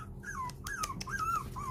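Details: Four-week-old puppies plead for their mother, tired of rearing them, to come back in. Four clear high whines slide downward in quick succession over a low background hum.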